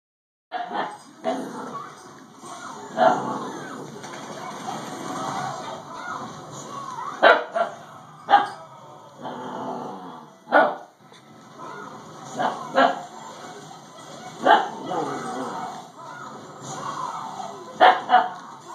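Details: Dakota, a female Siberian Husky puppy, growls and barks at a doorstopper as if it might attack her; short sharp barks recur every couple of seconds between low rumbling growls, with a person talking in the background.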